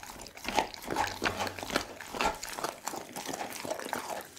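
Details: Doggy, a pit bull, feeds on a whole raw chicken; close, sloppy chewing with liquid smacks and sharp bites clustered unevenly, room ambience behind.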